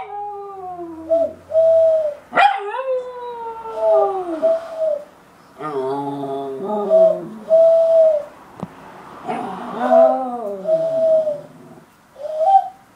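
A West Highland White Terrier howls in long, wavering, falling notes broken by yips and whines.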